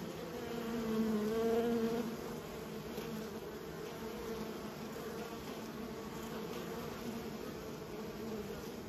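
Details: Hum of kept honey bees, with one bee passing close and loud around the first two seconds, rising then fading back into the steady colony drone.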